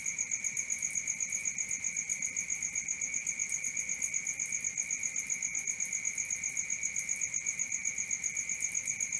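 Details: Night crickets keep up an unbroken, rapid pulsed trill, roughly four pulses each second, bright and high-pitched with an overtone band above, unchanging throughout and free of other noises.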